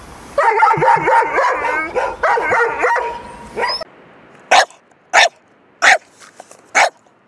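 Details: Dog from a loud barking compilation: a wavering, wobbling voiced whine for several seconds, then an abrupt break into four crisp, evenly spaced barks roughly every two-thirds of a second.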